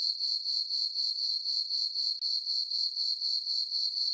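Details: Brief stretch of crickets on a moonlit summer night in a farm meadow: a thin, high, steady chirping with regular pulses about four per second and a momentary break midway.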